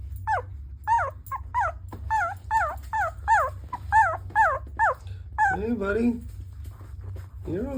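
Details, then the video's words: Sleeping puppy whimpering while dreaming: quick falling, squeaky yelps repeated rapidly, then a lower drawn-out whine near the end, over a constant low hum. "Have you ever heard a puppy make these noises while sleeping?"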